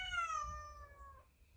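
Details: Indoor cat, a rescued stray, calling because it wants to come into the room while laundry is being folded: one clear, drawn-out meow that starts high and slides steadily downward over about a second, then fades, with a quiet room behind.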